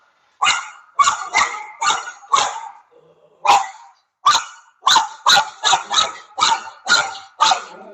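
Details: Dog barking, shown in a lesson on the barking problem and how to solve it: loud, sharp barks in quick bursts, a brief pause near three seconds, then a steady string of about nine more barks.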